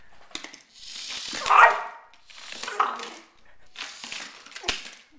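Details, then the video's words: Border Collie, a female described as crazy, indoors in a small room, giving drawn-out whining yelps and barks in three bursts of roughly a second each, with speech-like vocal tones. "Scully the Border Collie"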